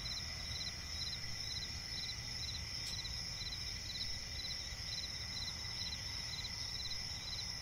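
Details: Night-forest crickets by a swamp, giving rapid pulsed chirps in regular bursts about twice a second above a constant high-pitched buzzing chorus, with a faint click and low ambient rumble beneath.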